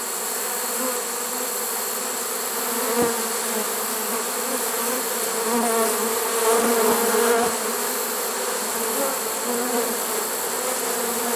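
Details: Swarm of honey bees in a swarm trap, caught late in the season on September 1, 2019: a dense droning hum that swells slightly midway, with a sharp tap near the start.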